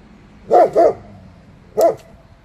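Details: A German Shepherd, being trained and prompted to bark on command, gives two quick, deep barks, then a single bark after a pause.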